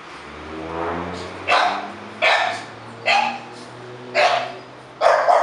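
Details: English Bulldog barking five times, sharp hoarse single barks roughly a second apart, over a steady low mechanical hum.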